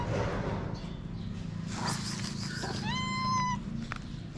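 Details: Female cat in Morocco avoiding a male that wants to mate, sheltering near a person; a single clear drawn-out meow holding steady before dropping, over rumbling background noise and rustling.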